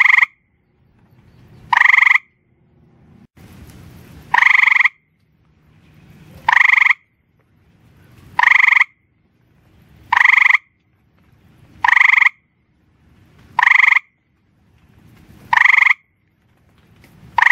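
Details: A gray treefrog (Hyla versicolor) calling after dark from rocks on a back porch gives short, musical, trilled advertisement calls about every two seconds.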